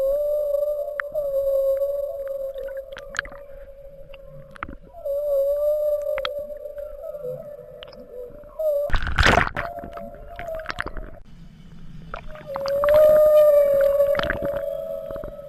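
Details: Humpback whale with its calf travelling north from Bahia de Banderas: drawn-out steady low moans, interrupted midway by a sharp broadband splash-like burst, then a louder tone that rises and falls.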